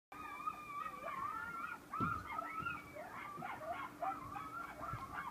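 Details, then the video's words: A group of coyotes howls in the front beach forest at Station 26 1/2, Sullivan's Island, South Carolina, wavering yips and sliding wails overlapping in a chorus. "Coyote group howling on Sullivan's Island"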